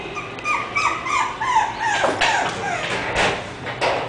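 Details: Bumi, an English bulldog puppy, whimpers in thin drawn-out notes that slide downward, then breaks into sharper yips mixed with soft clattering knocks in the second half.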